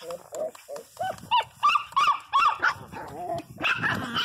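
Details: Pinscher named Teco crying very loudly: a run of short, harmonic yelping cries that rise and fall, repeated roughly three times a second, with some voices mixed in.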